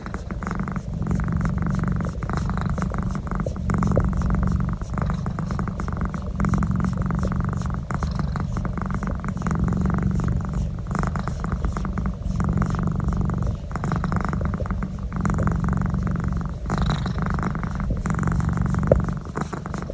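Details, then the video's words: Domestic cat purring steadily while receiving a neck massage; a deep, continuous rumbling pulse runs through the whole stretch with slight swells in loudness, recorded indoors with no other clear sounds. "My Cat ( Naz ) Love neck massage and making noise"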